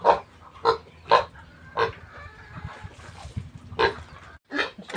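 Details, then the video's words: Piglets just weaned from a new sow, about to get commercial pig starter feed, short squeals at irregular intervals over a low rumbling background. "Pagwawalay ko sa mga biik ng bagong inahing baboy"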